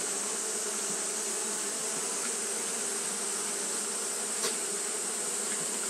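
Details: Japanese honey bees fanning continuously on a hot day: a steady, low droning hum with no breaks, layered over a constant high-pitched hiss; one brief click near the end.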